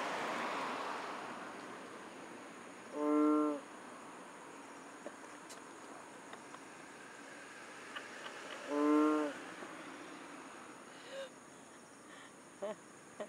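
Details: Loud frog in Borneo giving two short, harmonic, nasal blasts about six seconds apart, each under a second long, over a steady background hiss with faint scattered clicks.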